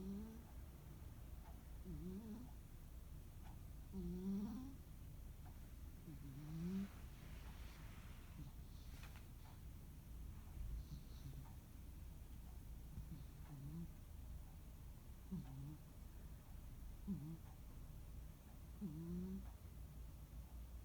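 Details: Quiet, steady snoring of rescued cat Munenaru on a calm holiday afternoon: faint, low, upward-sliding snores spaced around two seconds apart, with a brief soft rustle near the middle.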